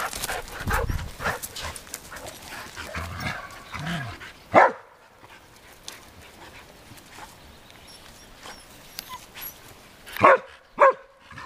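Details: Adult dogs Arija and Nallo playing in an exercise yard with nine-week-old puppies; scuffling play noise, then a sharp bark, a quiet gap and two more short yelping barks near the end.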